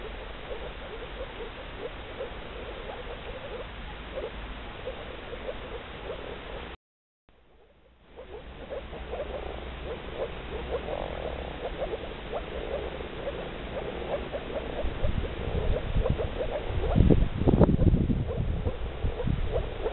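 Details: Chorus of male moor frogs in blue nuptial coat: rapid, soft, gurgling notes overlap for several seconds, then a brief silence, more calling, and loud low rumbling handling noise toward the end.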